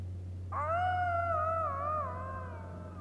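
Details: On a very quiet evening, 14 October 2015, in Hanila, Läänemaa, Estonia, a jackal gives one long, lonely, wavering wail that sags lower as it fades, with a high-flying airplane's noise in the background.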